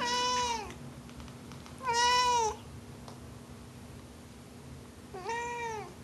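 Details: Domestic cat kept indoors, meowing while being talked to at home: three clear, drawn-out meows, each rising then falling, spaced a few seconds apart, with a quiet room hum underneath.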